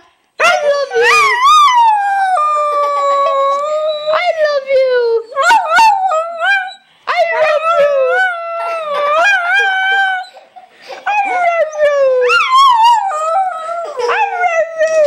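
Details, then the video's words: Honey, a pet dog, howls in reply as people urge her to say "I love you": several drawn-out, bending yowls separated by short pauses, each rising then sliding down, with human voices prompting in between. "Honey says I Love You"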